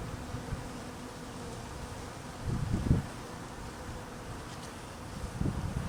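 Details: Hungry honey bees during cold weather, being fed, make a steady low drone of many wings, with a couple of nearer bees buzzing louder for a moment as they fly past.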